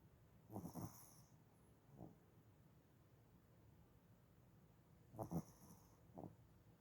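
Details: Sleeping dog snoring on January 7, 2021, soft and quiet, with short raspy snorting breaths in irregular bursts about one to three seconds apart, over a low steady hiss.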